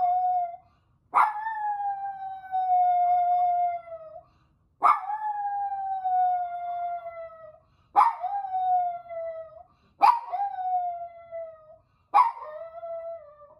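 A toy poodle howls in long, mournful notes, each opening with a sharp yelp, from distress at being left alone.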